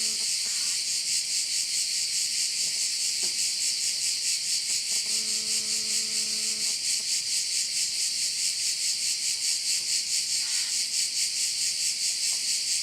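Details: Korčula, Croatia: crickets around a bay keep up an unbroken high rasping buzz pulsing steadily about twice each second, with a brief low hum in the middle.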